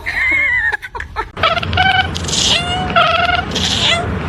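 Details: Domestic cat giving drawn-out harmonic meows, one long falling cry at the start, then several wavering wails after a burst of clatter, over a constant background hiss.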